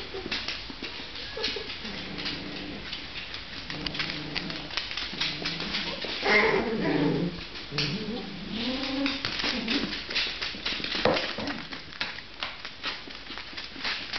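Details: Six-week-old Miniature Pinscher puppies of one litter in a small room; repeated wavering whines and squeaky whimpers through the middle seconds, with frequent bumps, shuffling and scratching.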